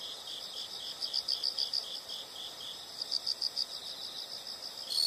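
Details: Insects chirp in short pulsed bursts at a high, thin pitch. The bursts come in trains of quick beats, separated by quieter stretches, over a soft, steady background hiss.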